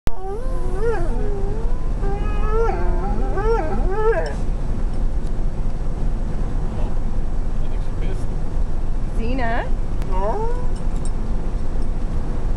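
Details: A dog in a motorhome, wanting her bone, vocalizes in a run of wavering, rising and falling whine-like moans over the first four seconds, then a few more short whining calls near the end, with steady low background rumble.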